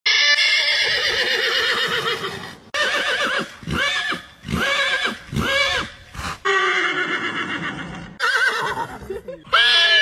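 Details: Horse (Equus caballus), whinny.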